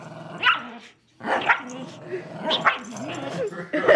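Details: Two pet dogs, Riley the miniature schnauzer and Buddy the lhasa apso, growl during a tug-of-war over a rope toy; rough, gremlin-like growls and short barky bursts break up with a brief pause, while people talk and exclaim throughout.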